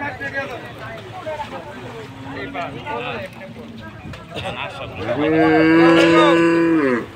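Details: At a Qurbani Eid cattle unloading in Bangladesh, a cow lets out a long, loud, sustained low moo lasting about two seconds at the end, after a stretch of muffled voices and handling noise.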